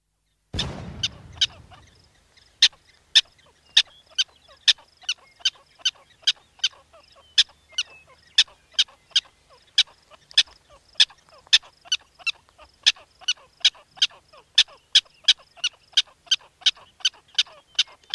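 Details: Black-tailed prairie dog, a burrowing rodent of colonies or towns, giving sharp, high chirping barks repeated roughly twice per second in a long, steady series after a brief low thump at the start.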